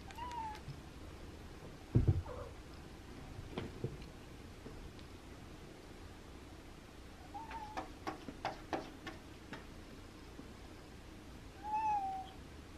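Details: Abby, a pet cat indoors on a cool, windy Monday, softly meows to ask for the window to be opened: three short, quiet meows spread across the stretch, with a low thump and light tapping between them.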